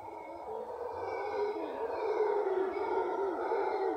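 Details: Howler monkeys heard during a morning walk in Cahuita, Costa Rica, giving an eerie sound: a steady, deep, droning roar that swells slightly and holds without a break, with a faint hiss behind it.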